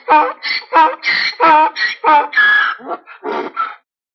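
A donkey brays in a rapid run of harsh, honking notes that alternate between higher and lower pitches.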